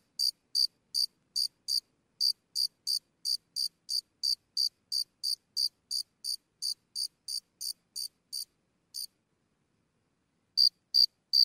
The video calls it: Nature Sound - Single Cricket Sporadic Chips Close (Relax)